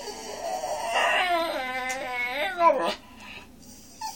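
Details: A pet Miniature Schnauzer puppy at dinner gives a high, wavering howl, drawn out and dropping at the end, begging for broccoli, which he loves.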